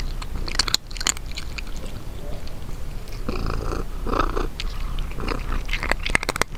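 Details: House cat at its food: scattered crunchy bites and chewing clicks over a steady low purring rumble, quieter between bites.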